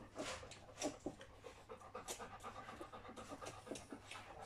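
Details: Litter of Folie and Mayley at three weeks old: the puppies pant in quick, uneven breathy puffs that rise and fall in loudness, with a few faint murmurs mixed in.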